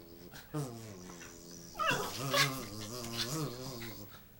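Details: A Schipperke reacting to a buzzing "monster" indoors: high, wavering whimpers and yips, rising then sliding down, over a steady low electric buzz and a man's voice.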